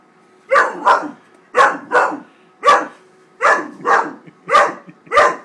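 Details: Great Dane puppy Wallace, 13 weeks old, barks while upset and attacking a paper bag. Nine sharp, harsh barks come mostly in quick pairs, evenly spaced and loud against a quiet room.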